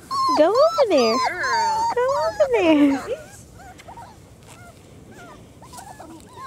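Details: A litter of four-week-old German Shorthaired Pointer puppies, outside for the first time. Loud, high, wavering whines rise and fall for about three seconds, then fade into soft scattered whimpers while women talk nearby.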